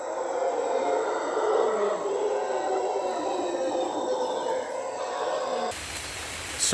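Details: Howler monkeys in dense Panama rainforest roar in a deep, rumbling, unbroken chorus for several seconds, "going nuts" in the canopy, with a thin, steady insect whine above, before an abrupt cut to other noise.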